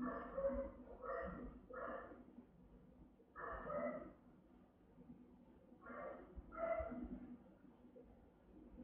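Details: Rottweilers guarding a house in Vietnam, the mother Melsee giving round, resonant, powerful barks with Siro joining; deep harmonic barks come in short bursts of two or three, separated by pauses, with background murmur.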